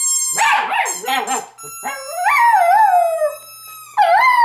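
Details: Female house dog calling out of longing for her owners or to wake them: a few quick wavering yelps, then a drawn-out howl that rises, wobbles and falls away, followed by another howl starting.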